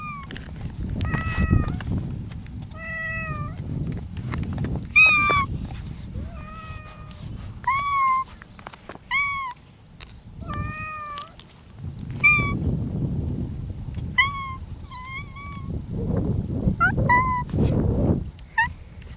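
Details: Feral mountain cats courting in spring, giving drawn-out, wavering meows with rising-then-falling tones, repeated roughly every second or two by more than one cat, over a steady low rumble of outdoor background noise.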